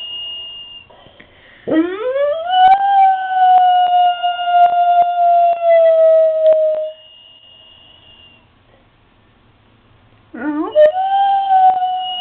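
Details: Pet dog Riley sings along with the daily church bells from down the street, bells themselves inaudible; a long howl that swoops up and holds for about five seconds, a pause, then a second rising howl begins.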